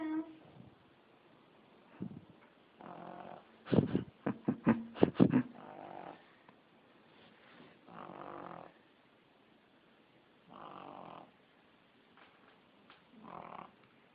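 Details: Pug snoring while asleep: soft, breathy rasping snores in broadband bursts about every two to three seconds, with a cluster of sharper clicking and snorting sounds in the middle of the recording.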